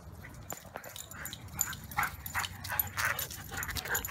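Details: Two Siberian Huskies, Maya and Pearson, at play in a yard following a morning walk; a string of quick whiny yips and whimpers, several each second, with rustling and low background rumble.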